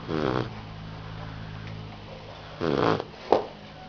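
A Rottweiler puppy snores with rough, rattling breaths that come a few seconds apart.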